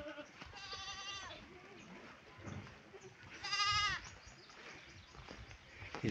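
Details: Pet goats being brought fodder: two loud, quavering, nasal bleats about three seconds apart, with faint chatter and farmyard noise between them.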